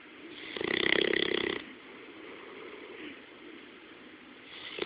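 A sleeping Bloodhound snores with a loud, rasping, buzzy breath that fades into quieter breathing.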